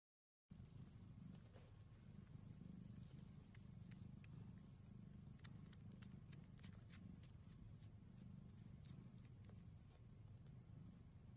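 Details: Domestic cat purring steadily, a low continuous rumble with a faint, even pulse, overlaid by scattered sharp clicks and rustles.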